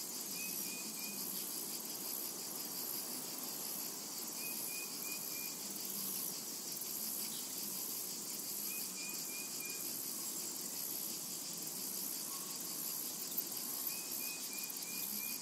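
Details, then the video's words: Unbroken high cicada buzzing over a summer meadow, punctuated roughly every four seconds by a small bird's quick group of three or four bright chirps. "Summertime and Cicada Ambience"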